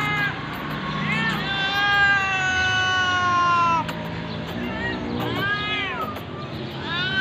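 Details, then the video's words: Hungry cat being given food, voicing a long, drawn-out meow that slides slowly downward for over two seconds, followed by shorter arching meows, over a steady low background hum. "any hangry cat givng food"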